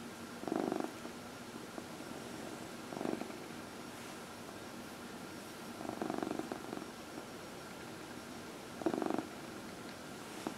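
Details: A purring Dinah, the 14-year-old cat adopted from a shelter, enjoying a massage during nightly early-evening lap time; the purr swells roughly every three seconds in four rhythmic surges, quieter in between.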